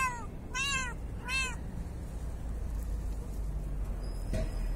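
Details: An 8-month-old female Bengal cat, walking outside for the first time, gives three short, rising-and-falling meows in quick succession.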